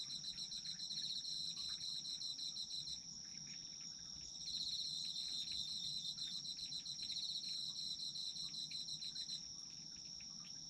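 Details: Autumn insects in a dense chorus: a steady high ringing tone with a pulsed trilling layer below it, the trill stopping near three seconds and resuming about a second later, over a soft low background hum.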